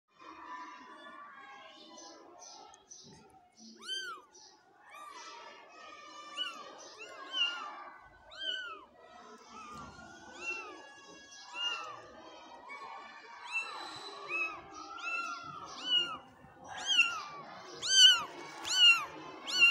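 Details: Several kittens meowing together: thin, high, arched mews overlapping in a continuous busy chorus, growing louder and more frequent toward the end, with soft background rustling.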